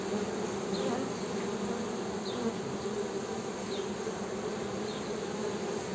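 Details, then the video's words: Continuous humming of honey bees, an even, unbroken low buzz with a layered higher hum, while faint short high chirps recur in the distance. "HONEY BEE'S HUMMING SOUND"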